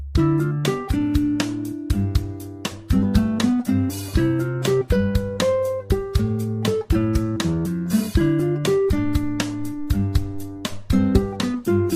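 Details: Strummed acoustic guitar music with a steady bass line plays throughout.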